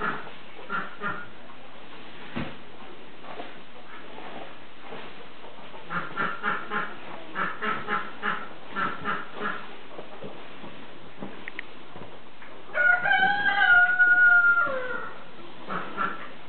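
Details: Three-week-old piglets from a sow's second litter playing, giving short grunts in loose bursts, with a louder run of squeals near the end.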